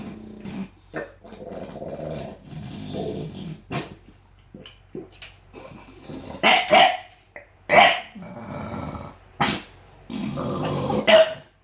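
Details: A bulldog gives low rumbling growls and snorts, then several sharp, loud barks spaced a second or so apart, ending in a longer grumbling growl.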